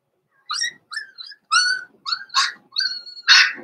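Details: Indoor puppy pen with Blenheim Cavalier King Charles Spaniel pups born November 14, 2022, readied for Christmas: seven high, thin yips and whiny barks, several rising then falling, spaced about half a second apart, the last one loudest.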